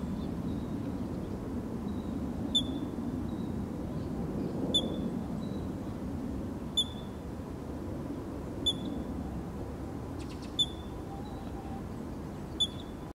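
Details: A ground squirrel gives loud, sharp, high alarm chirps, about one every two seconds, over a low rumble, likely after seeing or hearing a nearby hawk; foraging quail ran for cover at the calls.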